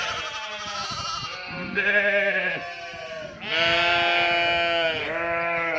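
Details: Sheep and cute lambs calling on 11/5/2026, several overlapping nasal bleats, some higher and thinner, others lower, running almost continuously with a loud, sustained baa near the end.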